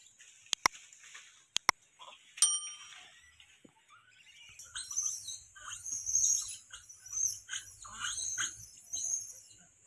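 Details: Monkeys fighting, giving sharp high-pitched squeals and shrieks in rapid, uneven bursts during the second half, after a few isolated clicks and a brief ringing tone near the start.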